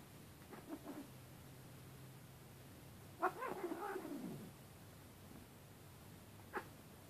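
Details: Siamese cat play-fighting with an orange tabby kitten, wrestling and swatting: one drawn-out, harmonic, wavering yowl that sinks in pitch over about a second, with faint thumps and scuffles before and after over a low steady hum.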